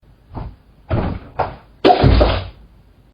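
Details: A few dull thumps are followed by a loud slam-like impact in a small room, with no animal call.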